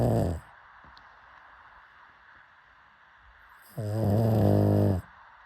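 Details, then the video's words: Sleeping pug snoring: a snore trails off at the start, then after a quiet pause one loud, deep, rasping snore with a steady low hum lasts about a second. "Why Do People LOVE Pug Snoring So Much?"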